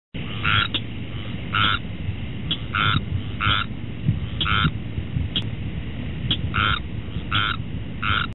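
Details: Squirrel tree frog calling: short raspy nasal croaks repeated about every half to one second in an uneven rhythm, roughly a dozen in the stretch, over a constant low rumbling background.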